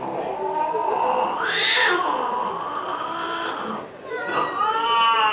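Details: Cats quarrelling over a car let out a loud, long caterwaul that swells upward and then slides down, ending in a rising, wavering howl, with faint voices nearby.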